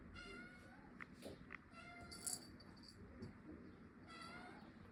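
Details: Pet cat giving three drawn-out, even-pitched meows, the first and last steady and nasal, the middle one briefly louder, over a constant low household rumble.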